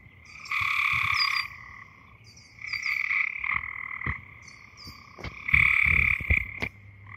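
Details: Eastern gray treefrogs by a forest pond in northern Ohio after dark give slow, musical, pulsed trills about a second long, slower than Cope's gray treefrog, three bouts in quick succession, with a large bird chirping faintly.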